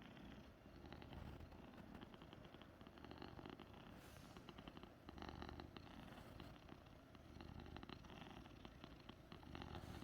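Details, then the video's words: Persian cat named Dazi purring close to its owner, described as a healing cat soothing its keeper; a low continuous rumbling purr with rhythmic pulses, plus soft crackling rustles. "힐러고양이 집사 치유해주는 소리"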